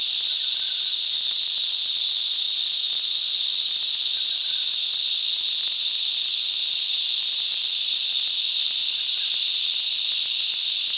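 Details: Cicadas sing together in the bush mangroves of Coffs Harbour, NSW, Australia, a loud, steady, high-pitched hissing buzz that never lets up.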